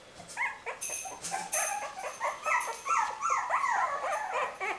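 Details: A litter of young puppies from Winny, yelping and whining together in overlapping high, wavering cries that rise and fall several times a second, with bursts of rustling or handling noise early on.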